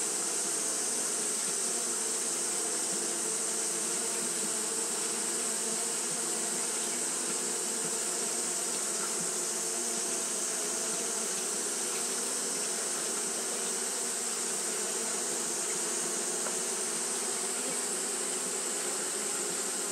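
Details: On a hot day, Japanese honey bees keep up their fanning behaviour, producing a long, steady buzzing drone with a faint hiss on top, level and unchanging for the whole stretch.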